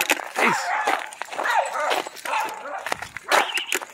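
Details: Doberman worked up after seeing a squirrel and a dog across the street, giving loud bursts of yelping barks and bent, whining cries with short pauses between.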